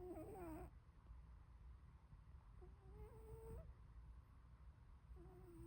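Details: Sleeping short-legged Munchkin cat named Glory snoring indoors: thin whistled nasal tones, wavering then rising, in three bursts of about a second each, separated by quiet low rumbling breath noise.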